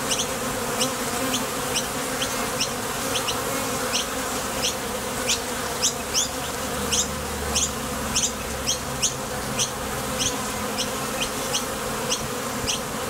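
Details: Busy entrance of a Top Bar Hive as honey bees depart for the field and return; a steady, even droning buzz fills the recording, dotted with rapid, short high-pitched ticks throughout.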